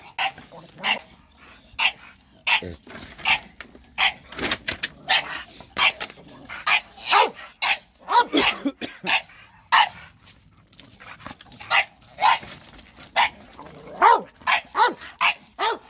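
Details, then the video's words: Bulldogs reacting to a shop vacuum with rapid, almost continuous barking, quick harsh barks tumbling over one another for the full stretch. "Bulldogs vs ShopVac"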